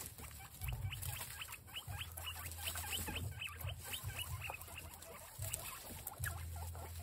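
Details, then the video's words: Several guinea pigs reacting to capsicum give rapid high squeaks, short rising and falling notes repeated many times a second, over a low steady hum and faint chewing or patter. "Guinea pigs react to capsicum"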